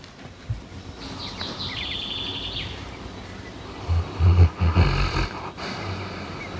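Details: Dik, a dog from Chernichny Khutor, snoring while asleep: a burst of low, rough, throaty snorts around the fourth and fifth seconds after quieter breathing, with a brief high squeaky tone earlier and faint background noise.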